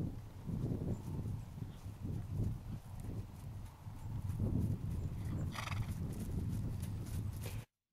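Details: Four-year-old gelding horse, trail broke: steady, low thudding hoofbeats run throughout, broken late by one short, bright, harmonic whinny-like squeal lasting about half a second before the sound cuts out.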